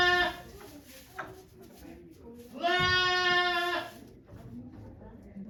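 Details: Goat named Okayu on Yoshigake farm in Japan, on 3 May 2023, during the birth of her two kids while many volunteers watch. A long, level, nasal bleat lasts just over a second, with people talking quietly before and after.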